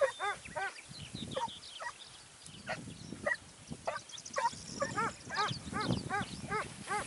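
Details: Segugio Italiano hounds near Sofiko, Evros, on 29 May 2019, giving a run of tonal baying barks repeated about twice a second, ringing and slightly falling, with several voices overlapping over low rumbling background noise.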